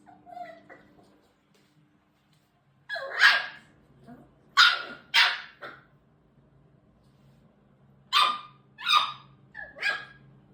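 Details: Shiba Inu making the strange squealing sounds the breed uses from puppyhood to talk to its mother; short bursts of yelping squeals in clusters of two or three, separated by pauses, in a quiet indoor setting.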